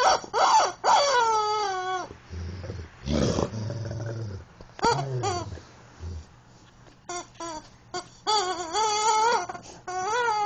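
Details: A Rottweiler whines in long, wavering, high-pitched tones that rise and fall, with his favorite chicken toy. A person speaks briefly, urging him to get the toy.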